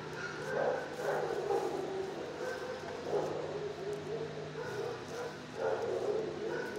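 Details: Shelter dog, six years old, barking from its kennel: several rough barks in quick clusters with brief pauses, against a constant low hum and some faint voices in the background.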